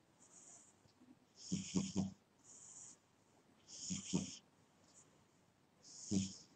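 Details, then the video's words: Dozing cat snoring, with breathy whistled wheezes, each joined by a short low rumbling snort, repeating about every two seconds. "My Snoring Cat"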